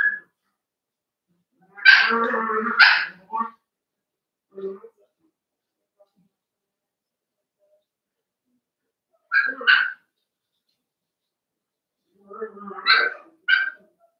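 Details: Cavalier King Charles Spaniel puppies at play inside a home pen, producing scattered bursts of high yips and barks, a few short whines between, separated by long quiet gaps.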